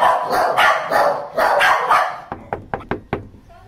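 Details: Overprotective female Scottish Terrier showing territorial aggression, after a recent biting incident: loud human speech first, then five sharp, rapid barks in about a second.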